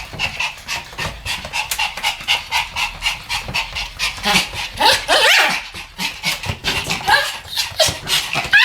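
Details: A Pomeranian duet of barking: steady rhythmic breathy yaps, close together, with a louder shrill outburst around the middle and quick panting-like pulses between barks.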